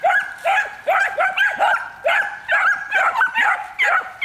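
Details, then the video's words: Three year-old miniature wire-haired dachshunds in a hunting training session, urged to bark persistently toward wild game: a steady run of sharp, high-pitched, yelping barks, roughly two per second, continuing throughout. "Bassotto Nano Pelo Duro - Sessione di addestramento propedeutico alla caccia - Stimolo all'abbaio"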